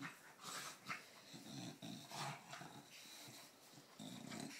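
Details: British Bulldog in Australia having a playful scuffle with a cow, not a real fight; low rumbling growls and snorting breaths in short bursts, with scuffling noise throughout.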